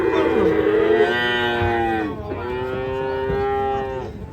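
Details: Raging cow being unloaded from a truck gives two loud, sustained harmonic moos back to back, the first falling in pitch at its end, the second steady and slightly lower, with little background noise.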